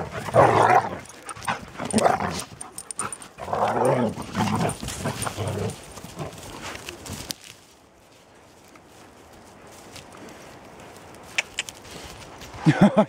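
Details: One-year-old Akita Inu playing in a forest with a nine-month-old Australian Shepherd; rough playful growls and barks in bursts over the first seven seconds, then quieter rustling, laughter and another burst at the end.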